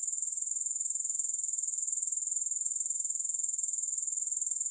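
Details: Grasshoppers giving a continuous high-pitched pulsing buzz, with no music. The rapid regular throbbing stays even and uninterrupted across the whole short stretch.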